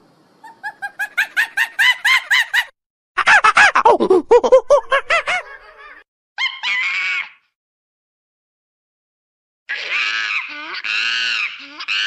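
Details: Monkey calling in forest: a series of accelerating, hoarse pulsed hoots building to loud, falling whoops, then brief wavering cries and a final stretch of quavering, rising and falling harmonic calls.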